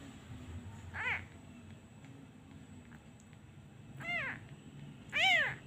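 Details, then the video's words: Abandoned kitten crying each time a hand is removed, missing its mother; three thin, arching meows spaced a few seconds apart over a low indoor hum. "He cries everytime I removed my hand. He really miss his mother."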